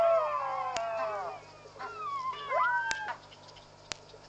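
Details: Jackals calling in the evening at Pete's Pond, Mashatu Game Reserve, Botswana: several overlapping wailing howls that slide and waver, some falling and some rising, followed by quieter background with sharp clicks.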